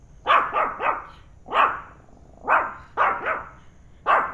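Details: Penny, a pet dog, reacting to a turtle indoors with bursts of loud barks, often doubled or tripled, in four clusters over four seconds; room otherwise quiet.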